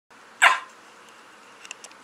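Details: A small male Chiweenie, about 4 years old and 8 lbs, a shy rescue, gives a single short, gobbling bark like a turkey's, followed by a few faint clicks.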